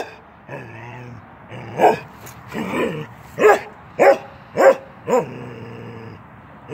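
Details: A 10-month-old male Norwegian Elkhound named Keweenaw plays through a fence. Growly, drawn-out grumbles lead into five quick, punchy barks about half a second apart, with a low rumble trailing after them.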